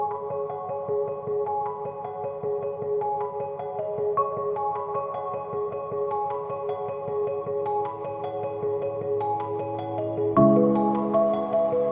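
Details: Steady mallet-percussion music with marimba-like notes plays throughout, and a fuller chord enters near the end.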